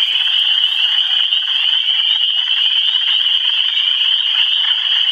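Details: Michigan frogs in full chorus: an unbroken, shrill, pulsing trill from many callers at once, steady in pitch and loudness with no other clear sounds.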